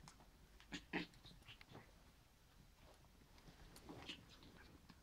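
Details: Schipperke puppies, 36 days old, playing with their mother, give a few short, high yips and squeaks, then a quieter stretch.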